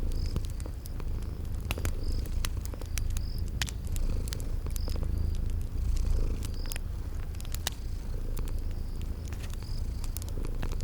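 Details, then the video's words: Cute kitties purring while asleep beside a crackling fire in a cozy spring garden setting. A continuous deep, even purr runs throughout, with scattered snapping crackles and regular brief, high cricket-like chirps above it. "Relax with Cute Sleeping Purring Kitties by a Crackling Fireplace"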